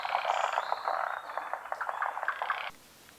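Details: Forest green tree frogs, Japanese endemics found on Honshu and Sado, calling at a midday spawning in the rainy season. Dense overlapping rattled croaks run steadily, then cut off abruptly near the end.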